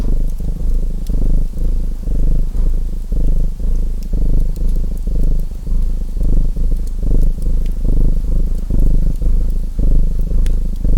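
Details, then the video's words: Domestic cat purring in an even, throaty drone that rises and falls with each breath about once a second, accompanied by light fireplace crackles and occasional sharper pops. "Purring Cat Sounds"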